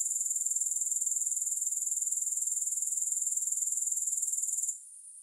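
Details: Grasshoppers chirping with no music: a dense, very high-pitched shimmering trill of rapid even pulses, steady for over four seconds before it drops to a faint hiss at the end.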